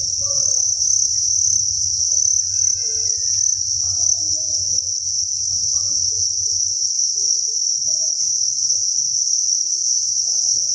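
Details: A steady, shrill chorus of thousands of crickets fills a cricket breeding farm, an unbroken high trill throughout, over faint low rumbling and scattered soft clicks.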